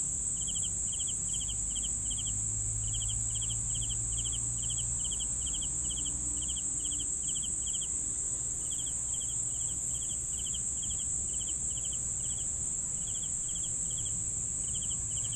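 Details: Crickets chirping steadily, paced for sleeping: rapid pulsed chirps about three per second with a brief pause near eight seconds, a constant high shrill drone and soft low background hum beneath.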